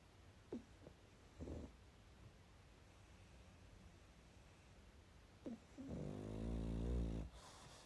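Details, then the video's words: Sleeping pug indoors: a few faint snuffles and clicks, then one loud, drawn-out rattling snore lasting about a second near the end, over quiet room hiss. "Мопс и сон😴Храп.Мопс-ребёнок"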